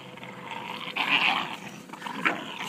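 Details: Two Staffordshire Bull Terriers, Killa and Corrado, playing and having fun: rough, gruff growling bursts swell near the one-second mark, then fade before a brief, sharper snarl-like sound.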